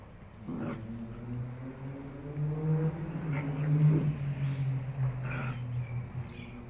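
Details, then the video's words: Two Rhodesian Ridgebacks, a 9-week puppy and a 9-month dog, play fighting; a low sustained growl rumbles for several seconds with a few higher yelps at the start and end. "9 week Rhodesian Ridgeback play fighting with 9 Mo"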